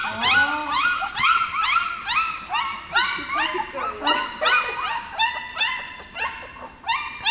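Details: Newborn puppies, seventeen days old, on their first outing into a dog café: a steady series of high, arched squealing whimpers from more than one pup, repeated roughly twice a second with some overlap.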